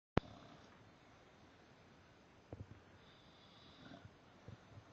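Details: Harley, an English Bulldog, snores while napping upside down indoors; faint rasping snorts around 2.5 seconds and again near 4 to 4.5 seconds over a soft steady room hiss, with a sharp click at the very start.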